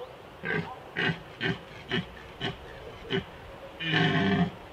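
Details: Red stag during the 2021 rut in the Small Fatra mountains, Slovakia: six short, hoarse grunts repeated about every half second, then one longer, louder, rough roar near the end. The background is quiet.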